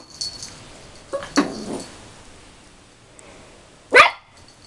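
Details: Rolo, a puppy 13 weeks old, barks at himself in the mirror. Two short, high yaps, the second louder and sharper, with soft rustles and scuffling between them.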